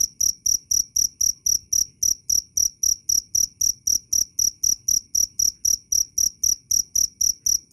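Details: Cricket calling loudly and clearly: a fast, regular train of piercing high chirps, about four per second, each with a faint low knock beneath it.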